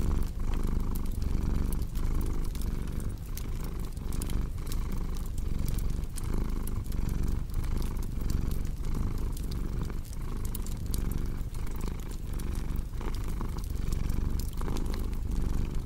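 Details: Domestic cat purring beside a crackling fireplace: a low, steady rumble that swells and fades in regular breathing cycles roughly once a second, with sharp pops and snaps of burning wood throughout.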